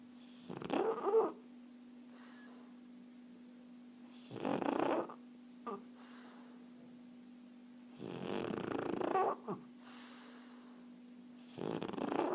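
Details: Sleeping French Bulldog named Erna snoring in a slow rhythm, rough rattling breaths recurring about every three to four seconds, some with short snorty catches, against a steady low background hum.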